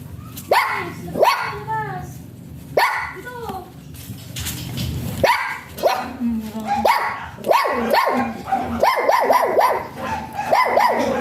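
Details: Jinbie, a small type Pomeranian, gives sharp, high yapping barks, first in pairs, then in a quicker run of short yaps near the end, with a person talking underneath.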